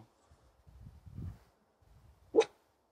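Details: Near three tiny wild boar piglets met on a forest trail, a Finnish Spitz dog lets out a single abrupt bark after a stretch of quiet rustling and footfalls.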